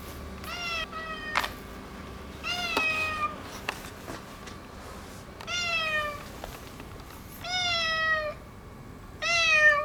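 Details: Neutered ginger tomcat, boss of a local area, being affectionate after holding back. He gives five drawn-out meows, each with a slight rise then fall, spaced about two seconds apart, over a steady background hum.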